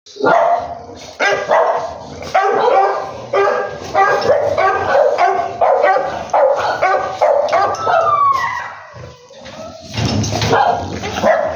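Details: English Bulldog barking in a rapid series of harsh, broadband barks, roughly one or two per second, with a short pause and a sliding whine near the end before a final burst of barks.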